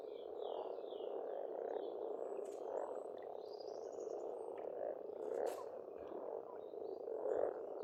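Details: Spring frog chorus at an Estonian pond: steady overlapping croaks form an unbroken purring drone, a few louder bursts near the end, while birds add faint high twittering and whistled notes.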